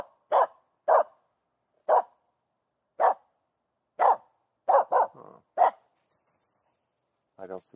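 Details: Finnish Spitz in an overgrown summer forest in mid August, barking at a squirrel hidden in the trees; steady sharp barks about once a second, a quick double bark with a short whine, then a final whimper.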